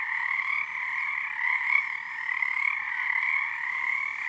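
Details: Dense frog chorus on Harstine Island, Washington, at night under the first full moon of the season, numbers building nightly; a continuous trilling wall of many overlapping callers in two steady bands, slight swells in loudness, no pauses.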